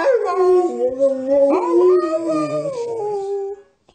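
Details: A talkative dog 'talks' in a wavering, yodel-like howl, pitch dipping and climbing several times over about three and a half seconds before trailing off into quiet.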